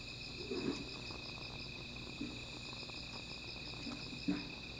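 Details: Nighttime insect chorus by a small fire: unbroken high buzzing trill in stacked tones, interrupted by three short soft thumps or knocks, one near the start and one near the end.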